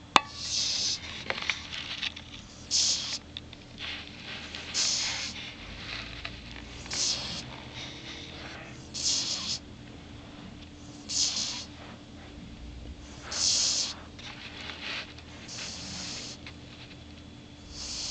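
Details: Lexi, a dog, snores steadily, each breath a soft hissing rasp recurring about every two seconds over a low constant hum.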